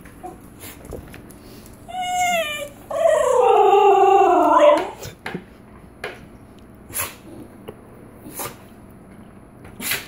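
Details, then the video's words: Female Basenji-Whippet cross, the African barkless dog, vocalising while waiting for a treat at the treat jar: a brief higher whine followed by a sustained, warbling, wavering yodel of about two seconds that slides downward, then quiet clicks. "Basenji Yodel - What Sound Does An "African Barkless Dog" Basenji Make?"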